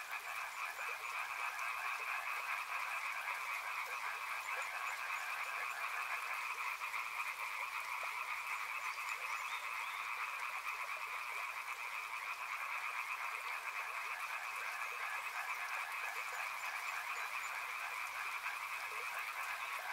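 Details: Steady riverside frog chorus holding at an even loudness for the whole stretch, countless fast trilled croaks merging into one band of sound, with running water hissing behind.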